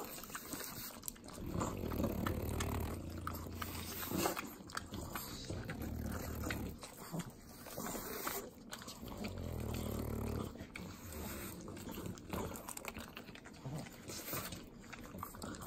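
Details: Eating butter, three pugs in the Inland Empire of Southern California snort heavily in low grumbling stretches, broken by rapid wet licking and smacking clicks throughout.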